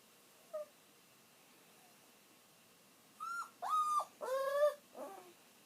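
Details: Kiri, an elderly pet dog, whimpers while waiting for its owner to come home. One faint short whine comes first, then after a pause four high, wavering, nasal whines follow in quick succession over quiet room hiss.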